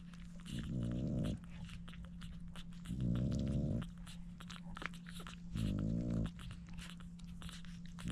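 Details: French Bulldog puppies, seven of them, being fed by their mother Dooney; low, harmonic grunting whines in three drawn-out bursts about every two and a half seconds, with wet clicking feeding sounds and a steady electrical hum throughout.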